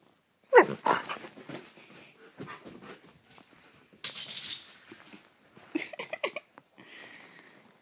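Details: Playful Siberian Husky pup burning off energy before bedtime indoors: one sharp, loud yelp falling in pitch, then scattered huffing, snorting and scuffling noises with softer grumbling bursts toward the end.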